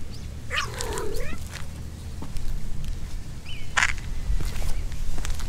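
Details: Stray cat on Aoshima, the cat island of Fukuoka Prefecture, Japan, during the mating season with a kitten nearby: a short wavering, warbling yowl rising and falling, followed by a faint thin cry, over steady low rumbling background noise.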